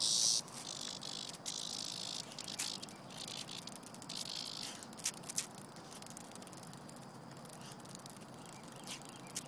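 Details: Cicada handled in play by a dog named Vanda, giving a high, hissing buzz that is strongest over the first five seconds, then fades into a thinner drone broken by sharp clicks and rustles.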